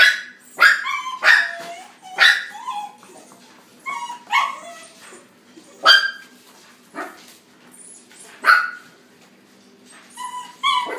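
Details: Black male Miniature Dachshund puppy, born March 2019, kept in a pet shop, giving a series of sharp high yipping barks, about ten spaced irregularly roughly one second apart, indoors with a faint steady hum.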